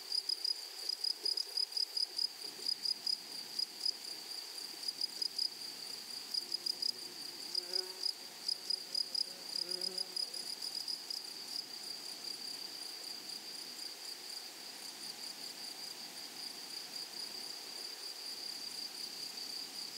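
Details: Meadow grasshoppers in flowery grassland, wild: pulsed high-pitched buzzing bursts early on that smooth into a steady sizzling hiss, with a few faint lower tones midway.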